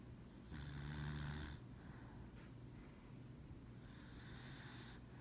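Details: Lucybelle the dog takes a nap on a lap, snoring in low rumbling breaths with a steady buzzy drone, broken by louder hissing, snorting intakes lasting about a second, in a quiet indoor room.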